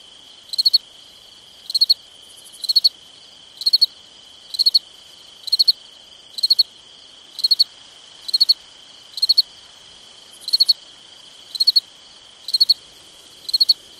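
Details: Summer crickets calling at night: a steady series of about fourteen high, pulsed chirps roughly once per second, each three or four quick beats, layered over an even, sustained shrill background trill.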